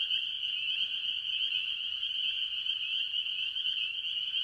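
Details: Chorus of various tree frogs, mostly spring peepers, at a farm pond in early year: a constant shimmer of shrill, high overlapping peeps with slight pulsing, over a softer lower trilling layer.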